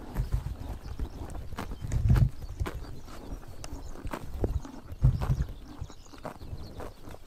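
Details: Horses grazing in Mongolia on a summer morning in the sun: dense, close crunching and ripping of grass with heavy low thuds, stronger bites near two and five seconds, steady chewing throughout.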